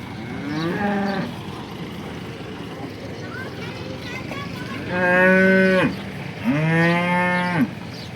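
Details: Local Banaskantha cattle, among them a horned first-lactation cow giving nine litres of milk: three loud moos, a shorter one followed by two long, steady, low lows in close succession.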